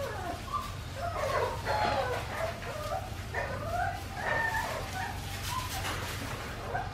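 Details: Australian Shepherd puppies from Winnie's litter, aged four weeks and five days, on a farm baby cam; several overlapping high whimpers and squeals, rising and falling, over a steady low electrical hum.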